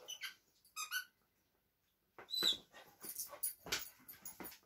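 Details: Two dogs, a Vizsla and a Doberman, playing and competing over a new toy; short high whines with clear overtones open the scene, followed by a pause and then bursts of scuffling, panting and clattering play noise.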